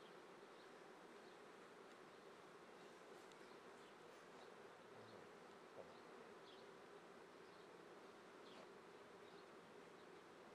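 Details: Honey bee colony near Treviso, Italy, swarming season, 22 May 2010 at 9:30 am: a constant, grainy buzz from many insects, with a few faint high chirps and one soft click.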